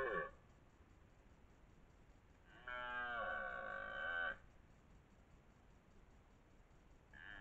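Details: Rutting red deer stag with twelve points, the dominant male near Lartigau, Milhas, Haute-Garonne, France, 2023: a single harsh roar of nearly two seconds, with the edges of other roars at both ends.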